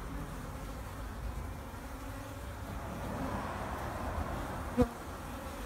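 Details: Wintering honey bees in a backyard hive in Vancouver, BC, on March 2, 2019, at 2:30 in full sun at 8 degrees, very active with the cover removed: a steady low droning hum with one sharp click near the end.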